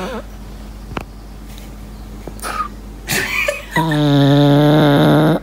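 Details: Lincoln, an English Bulldog, whistles while asleep indoors: faint soft breaths, then a short airy whistle, ending in a loud, steady, tonal snore-whistle held for almost two seconds.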